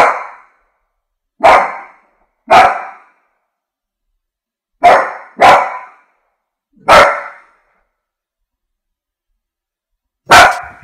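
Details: Repeated loud barks from a French bulldog, some paired in quick succession, others single, spread irregularly across the recording with clean silence between.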